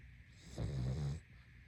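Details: A sleeping pug snores once: a single low, rumbling inhaled snore of about half a second with a buzzy, vibrating tone, rising out of and falling back into a quiet, steady hiss.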